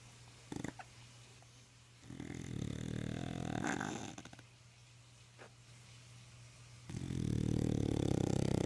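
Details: English Bulldog snoring away while asleep at home: two long, rasping, vibrating snores several seconds apart, each rising in roughness, plus a couple of small clicks and a constant low hum.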